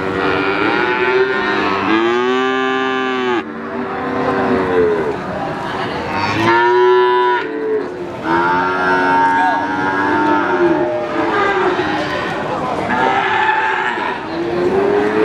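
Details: Several cattle at the Wagenan cattle market, Pati, Indonesia, mooing repeatedly: long droning moos, some higher and strained, overlapping one another against constant background din of the market.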